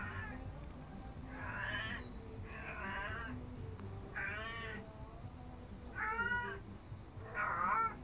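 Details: Gazoo, a Devon Rex cat stalking a fly, gives a run of short, harmonic, arching mews, one about every second.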